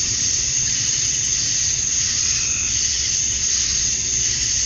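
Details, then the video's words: Male cicadas chorusing to attract females at summer dusk in Georgia, USA: a dense, unbroken high buzz with a steady shrill top edge and slight swells in loudness, no pauses, faint low rumble beneath. "Cicadas at Dusk, Summer Night"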